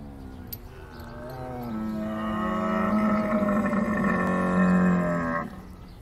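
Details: Camel giving a long, low moaning bellow, steady and harmonic-rich, swelling gradually for about four seconds before stopping abruptly.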